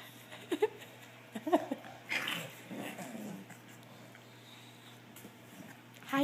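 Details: Bulldog father playing with his puppies as they climb over him; short high squeaky yips and whimpers in scattered bursts, with a person talking softly over them.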